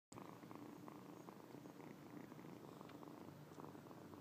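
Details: Male young cat, apparently not properly weaned, kneading and licking a person's lap and legs as kittens do when nursing, purring steadily: a low, continuous rumbling throb with even pulses throughout and no other clear sounds.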